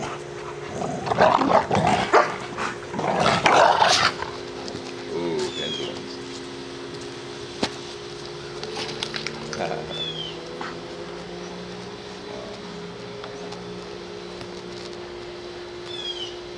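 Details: American Bully dogs from a pack playing together in the morning; a cluster of rough barks and growly vocalizations in the first four seconds, then quieter scuffling with a few faint squeaky whines and a steady background hum.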